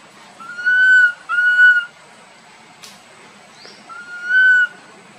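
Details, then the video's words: Boston, a tiny monkey wandering with its group, cries loudly: three clear, drawn-out tonal coos, two close together, then a pause and a third, each holding one pitch with a slight rise and fall. "tiny monkey Boston walk wandering his group try crying loudly call"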